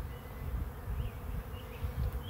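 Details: A swarm of bees arriving at a swarm trap makes a low, dense droning hum with a faint steady tone, slightly pulsing in loudness over a short stretch.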